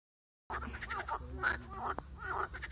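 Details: Marsh frog, from a recording that also shows an attack by a grass snake, heard as dense, overlapping nasal croaks and rattles starting abruptly after a half-second of silence, with a low rumbling background.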